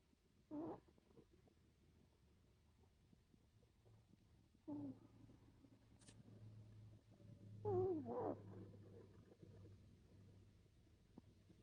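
A sleeping Chihuahua snores in short, raspy bursts every few seconds over a low steady rumble.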